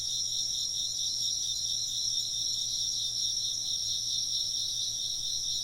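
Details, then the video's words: A constant wall of insect chirping: several shrill, overlapping trills at high pitch, steady in loudness from start to finish, over a faint low background hum. "風鈴の音と虫の声 - wind chimes and chirping insects"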